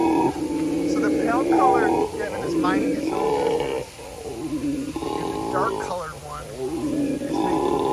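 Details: A dark-coloured howler monkey at the San Antonio Zoo gives deep, rolling roars in long repeated bouts, with people talking nearby.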